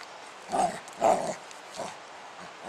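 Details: Spike, a pet dog, at play outside with his 10 lb weight, giving a few short muffled barks spaced about half a second apart, then a softer one, over steady background noise.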